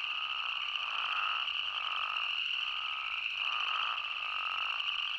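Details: Mixed chorus of spadefoot toads and boreal chorus frogs in Yellowstone National Park, a continuous high trilling drone overlaid by rhythmic, pulsing calls swelling and fading about once a second.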